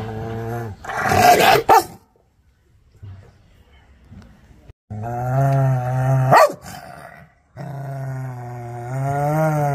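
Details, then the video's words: Angry dog. A short growl leads into a rough burst of barking, then quiet, then long deep rumbling growls broken by one sharp bark. "Angry Dog Barkings Sound || Aggressive Barking Dog"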